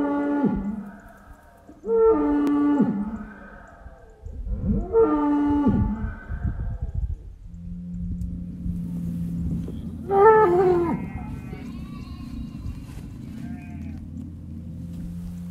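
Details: Farm bull mooing loudly with an echo: three long, harmonic, wavering moos in the first seven seconds, then a low steady drone and a higher, brief bellow toward the end.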